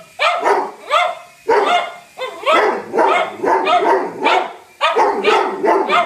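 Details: Barking from a Doberman and a cocker spaniel, Whiskey and Lucy, going after an intruding helicopter: loud, rough barks in quick bursts, about two per second, with short gaps between volleys.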